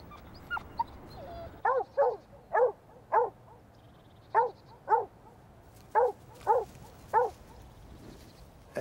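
A dog barks about ten times in a few seconds. The barks are short, clear and mid-pitched, many coming in quick pairs, and they carry the eager, playful excitement of a dog waiting for a ball to be thrown.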